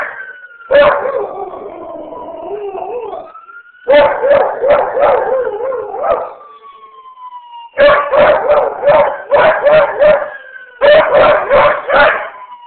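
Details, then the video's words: Beagle and shepherd mix dog howling in response to passing ambulance sirens: loud, harmonic baying bursts in four bouts, each breaking into rapid pulsed yelps, while a steady wailing siren tone slides up and down underneath. "Beagle howling at ambulance sirens"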